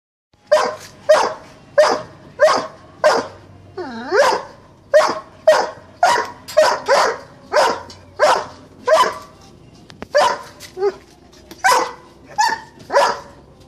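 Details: Doberman barking in a steady series of loud, sharp single barks about one to one and a half per second, with a brief whining break near the middle; little else heard.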